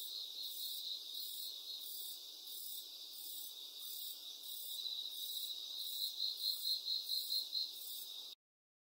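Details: Cricket song: an unbroken shrill trill with a burst of faster, louder pulsed chirps near the end before it stops abruptly.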